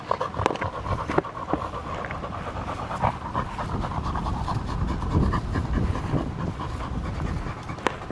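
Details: Labrador Retriever of field type during ball play, breathing in fast, even pants over steady low background rumble, a few sharp clicks scattered through.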